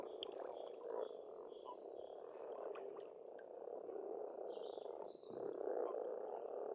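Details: Frogs at a spring pond in Estonia keep up a continuous rattling chorus, briefly dipping near the fifth second, while birds repeat clear whistled notes and chirps above.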